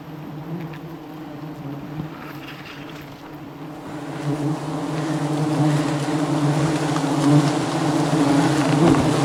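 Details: Massive aggressive honey bee swarm during wild honey harvesting high above the jungle; even, dense buzzing drone that builds steadily louder across the clip, with light rustling beneath.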